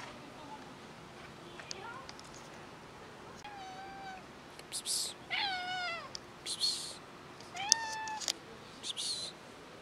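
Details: Cats, one of them pregnant, meowing while being fed: several clear, harmonic meows, some rising then falling, spread over the recording, with faint background noise.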